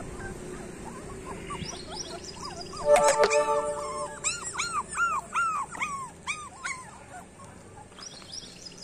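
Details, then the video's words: Street dog puppies whine in a series of arched, high-pitched yelps, about ten in a row after a brief musical tone, then fading to faint whimpers over soft background noise. "street dog puppies"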